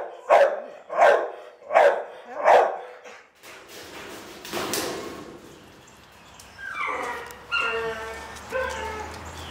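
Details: Dog barking four times in a steady series, about one bark every three quarters of a second, followed by rustling and then several high, harmonic whining cries near the end.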